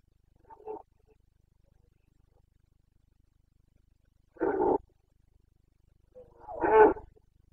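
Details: Carpathian stag in Bucovina roaring in the breeding season, 29 September 2022, a display the locals call boncănit. A short low grunt is followed by two loud, gravelly roars a couple of seconds apart.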